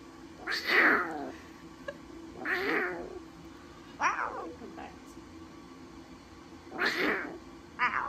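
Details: Newborn lion cubs at Taigan, described as talkative, give five loud mewing calls that sweep down in pitch, each under a second long and spaced irregularly across eight seconds, with a steady low background hum.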